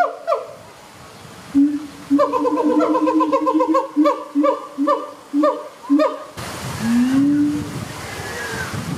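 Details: Captive siamang pair Hutan and Sensei duet at ZooTampa, Florida, with baby Kazuki nearby: a brisk series of loud, ringing barks, about two per second, speeding up, then fading into a lower, drawn-out hoot.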